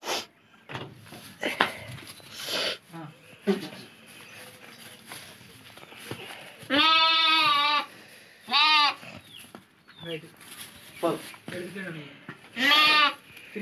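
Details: Lambs for sale give several loud quavering bleats in the second half, each around a second long, after a stretch of clicks, knocks and scattered voices.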